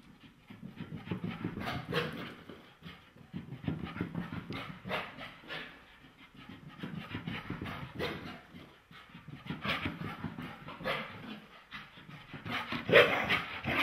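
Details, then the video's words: Irish Terrier upset at having had a bath, giving a long run of irregular, breathy huffing grumbles and panting bursts, rising and falling in loudness, with a sharper squeak near the end. "Irish Terrier Mad That He Got a Bath"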